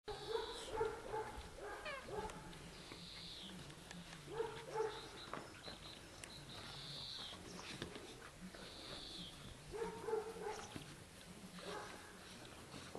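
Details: Dogo Canario puppies at 12 weeks old, a litter born 11.02.10 weighing 13.1 to 14.8 kg, give short yappy barks in three bursts of several quick yelps, separated by pauses, with faint high whistling tones in the background.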